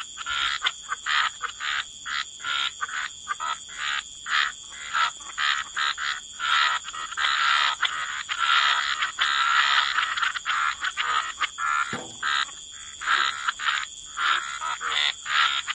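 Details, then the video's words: Many frogs croak by the water in a wetland, short choppy rasping croaks alternating with quieter gaps, swelling into a denser chorus midway, backed by a steady high whine. "Relax to the Sound of Croaking Frogs"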